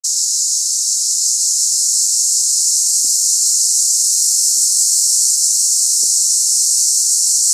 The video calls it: Cicaden